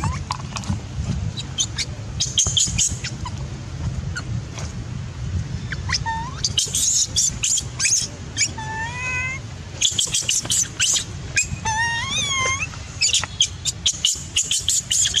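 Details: Baby macaque shouting loudly in anger after its mother refused it milk; rising, bent squealing screams in bursts, with chattering clicks and a low background rumble.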